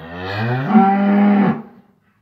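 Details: Near a newborn calf standing for the first time, cattle give a single rich moo. It swells gradually, holds an even tone for about a second, then fades out quickly.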